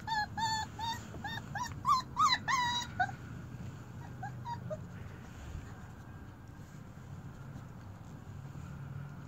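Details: Four-week-old German Shepherd puppies, a litter including a runt, give high, wavering whimpers and yelps in quick overlapping bursts during the first three seconds, then fainter squeaks over steady low rumbling background noise; a person greets them.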